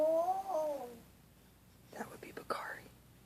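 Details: Dog making sleep noises while asleep indoors: a soft tonal whimper that rises and then slides down, then a pause, then quiet whispery breaths and smacking sounds.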